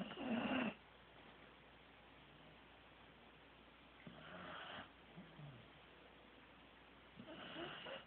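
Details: Teddy, a sleeping Corgi, snoring: rough, breathy snores with a loud one at the start, then softer ones about every three and a half seconds, over a steady low hiss.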